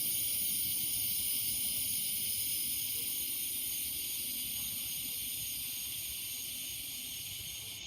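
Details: Cicadas singing among the trees in the evening: a steady, shrill, hissing drone with several high buzzing layers that never breaks, easing slightly toward the end, over a faint low rumble.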